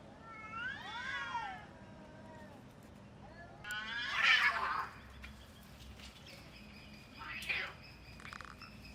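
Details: Cats in a fight: drawn-out, wavering harmonic yowls rise and fall over the first second and a half, then a louder harsh screech bursts out near four seconds, followed by shorter strained cries.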